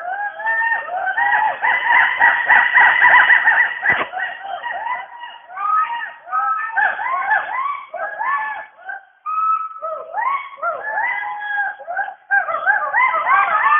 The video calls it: Western hoolock gibbon sounds